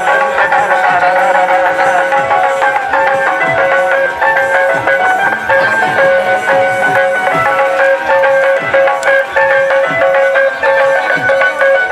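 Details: Loud folk music with tabla drumming and a sustained melody dominates, with voices faintly beneath and no animal sound.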